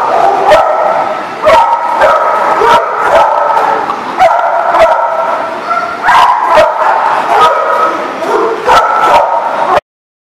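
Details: Dogs at a lot named The Barking Lot, recorded 22 December 2018, barking steadily with many overlapping voices, sharp barks every second or so over a continuous chorus of yips and howling-like tones.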